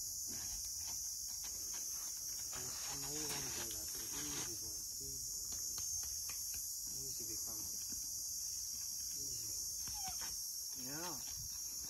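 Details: Young rhinoceros calf inside its boma, being introduced slowly to two other rhinos, moaning because it wants to go out to see them; a wavering, wobbling moan near the end follows brief voiced sounds, with a constant insect hiss and a man speaking.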